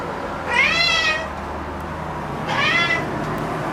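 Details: Black house cat, excited and noisy after finding an insect at home, gives two drawn-out meows about two seconds apart. Each is bright and harmonic-rich, rising then falling, over a faint steady room hum.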